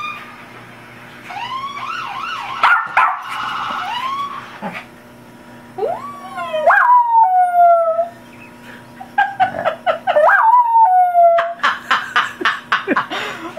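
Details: Cappie, a dog, howls at a police siren played as audio. A wavering siren wail comes first, then drawn-out howls that rise and fall, separated by pauses, ending in short choppy whimpering notes.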